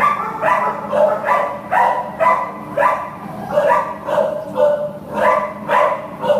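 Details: American Pit Bull Terrier at an adoption shelter, recorded 15 September 2015, barking steadily in short, ringing, mid-pitched barks, roughly two each second, with a faint steady hum behind.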